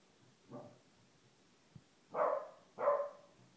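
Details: A 1-year-old female corgi, trying to get her blind half-brother to play, gives a soft bark, then two louder, rough barks in quick succession.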